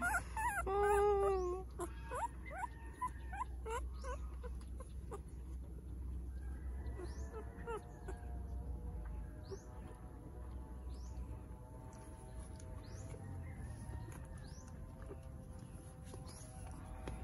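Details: Ten-day-old Shih Tzu x Aspin mixed-breed puppies whine and squeak in thin, rising, high-pitched cries.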